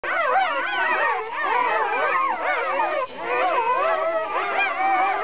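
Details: Newborn Kuvasz puppies from a litter of twelve, six males and six females, born 4 April 2011; a dense chorus of high, wavering squeals and whines overlaps continuously, pitches sliding up and down.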